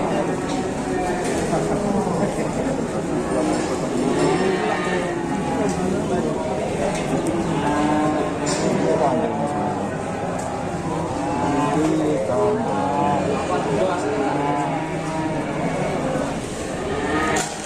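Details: Cattle arriving and being unloaded call with many overlapping harmonic moos throughout, steady crowd of lowing against constant chatter and background noise.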